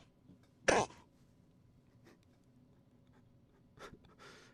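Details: Indoor room with a single sharp cough, then near silence, a few faint rustles and a brief clearing of the throat; no animal sound is heard.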